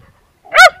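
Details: A single sharp, high-pitched bark from Timmy the terrier, short and ringing, after a moment of quiet.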